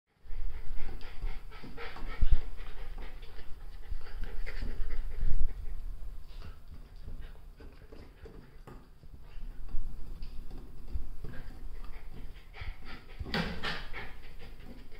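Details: Golden Retriever puppies panting hard and scuffling, with soft grunts and breathy huffs, as they play rough fighting over a chair.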